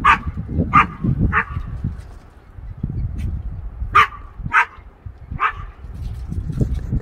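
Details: Chihuahua Oscar chasing a squirrel outdoors in Iowa after the 2020 derecho: six sharp, high yapping barks, three in quick succession, a pause of over two seconds, then three more, over a steady low rumbling background.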